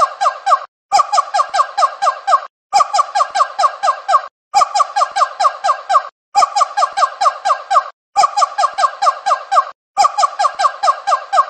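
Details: Monkey crying: bursts of about eight rapid, squeaky, harmonic chattering notes, each burst lasting around one and a half seconds and separated by brief silences, repeating steadily and nearly identically throughout.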